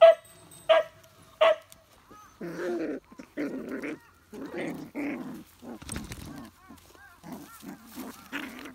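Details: Beagle on Amami Oshima, Japan, where a new litter of beagle puppies was visited: three quick ringing barks open the recording, followed by softer throaty whines and grumbles with rustling and handling noise.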